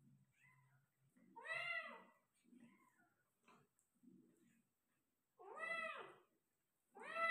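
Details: Persian cat in labour, delivering five kittens: strong falling meows at intervals, with soft low murmuring and faint squeaky notes in between, indoors.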